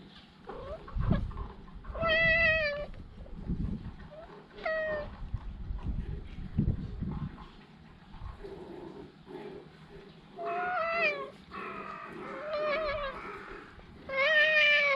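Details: Talkative stray cat meowing repeatedly, several harmonic mews around two, five, eleven, thirteen and fifteen seconds, some rising then falling, with low rumbling background noise and handling sounds between calls.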